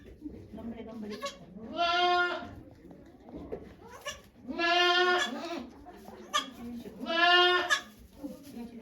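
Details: Okayu, a doe at Yoshigake goat farm in Japan, in labour with twins on 3 May 2023 among watching volunteers; three drawn-out harmonic bleats about two seconds apart, with soft human voices between them.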